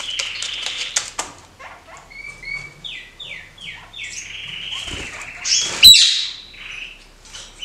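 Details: Caged kakariki pair, hopping about and acrobatic, give a string of short, descending, buzzy notes repeated several times, then a loud harsh burst, with light tapping beforehand.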